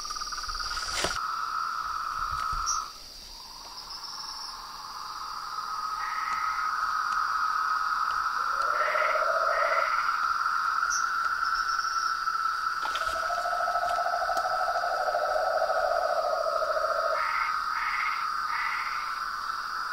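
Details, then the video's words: Evening chorus of toads, frogs and treefrogs at a pond facing a veranda: overlapping long trills at several pitches, one lower buzzing voice coming and going, short higher notes, and a continuous high insect-like hum. "A SINFONIA DOS SAPOS, RÃS E PERERECAS"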